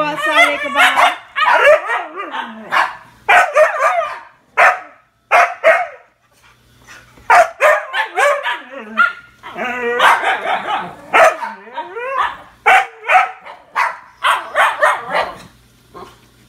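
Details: Pair of Siberian huskies waiting at a gate, eager to go out to potty, produce bursts of wavering yodel-like howls, yips and barks in clusters, a short lull near the middle, then renewed excited calling.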